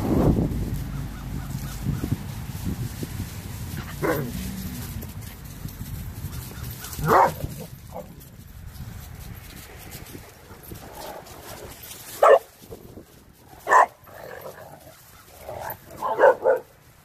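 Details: Dogs at play on Thanksgiving Day 2018: Renascence Bulldogge puppies Rekkr and Magi romping with Blue Bay Shepherd Kurgan and German Shepherd Lobo. Sharp, short barks burst out about five times at irregular intervals over a low, rumbling background.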